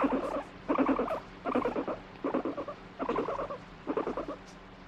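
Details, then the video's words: Irritable pet guinea pig that alternately demands stroking and rejects being touched; six short pulsed rumbling bursts, each a rapid buzzy stutter lasting about half a second, repeated roughly every three-quarters of a second. "撫でろ！触るな！撫でろ！あっち行け！なモルモット Fighting Guinea Pig"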